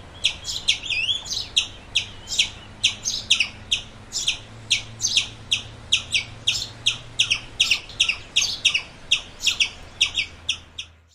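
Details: Sharp, high squirrel chips repeat in an even series at roughly two per second, a few with a quick upward twist, then fade out at the end, over a soft low drone.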